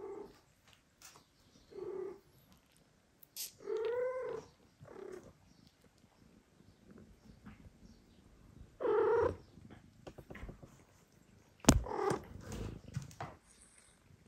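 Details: A household with a mother cat that refuses to feed two foster kittens while the father cat steps in. Short, soft calls alternate with two louder, bending meows. Scattered clicks and rustling sit between the calls.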